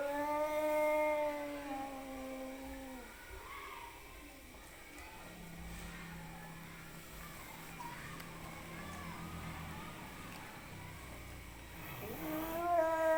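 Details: Fighting cats trade a long, strongly tonal yowl that wavers and then drops. A low, drawn-out growl follows in the middle, and another loud rising wail breaks out at the end over a background hum.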